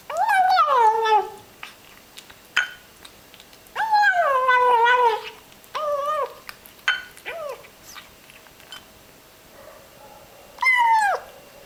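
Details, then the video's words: Small ginger kitten relishing its food, giving a busy run of rhythmic mewing grumbles, some long and quavering, others clipped, broken by light chewing clicks and a final drawn-out mew. "yum yum - a cute kitten is eating his meal in funny way"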